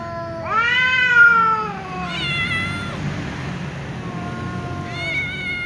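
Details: Angry tom cat meowing loudly in reply to another ginger cat that keeps meowing; drawn-out harmonic meows, one long rising then falling wail followed by shorter flatter meows, with low background rumble.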